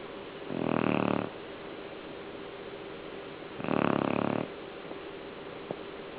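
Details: Pet dog asleep and snoring: two long rasping, breathy snores about three seconds apart over a steady background hiss.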